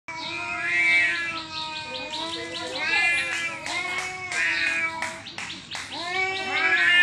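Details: Two cats facing off trade drawn-out yowling cries, long wavering harmonic wails rising and falling, overlapping with sharper bent calls in a tense back-and-forth.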